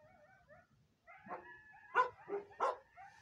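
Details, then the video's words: Coyotes calling close by at night: a series of short, sharp yips and barking notes with harmonic stacks, several bursts around two to three seconds in, preceded by fainter high wavering tones. "Coyotes are pretty close tonight...."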